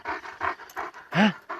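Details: Purebred panter-line Kangal, a wolf-hunting dog, shown reacting to a wolf: rapid rhythmic panting, breathy bursts about three per second, broken by one short voiced whine-like sound near the end.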